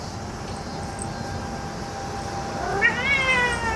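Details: Excited cat that has found a cicada gives one rising meow near the end, preceded by a long thin steady tone and continuous noisy background buzz.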